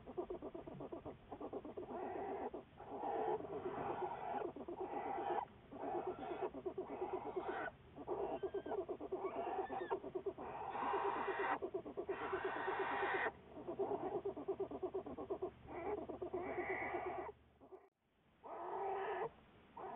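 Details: American black bear recorded on February 10, 2014 as part of ongoing research. Steady, fast throbbing vocal pulses for nearly twenty seconds, broken by brief pauses and a sudden dropout near the end.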